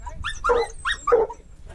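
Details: Treeing walker coonhound out mink hunting alongside a dachshund: two loud, hoarse barks about half a second apart, each a short rising-then-falling yelp with rich harmonics, over low rumbling background noise.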